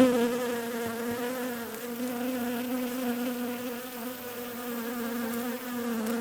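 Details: Bees buzzing softly, a constant low drone with harmonics, slightly quieter and fading a little in the middle before holding steady to the end.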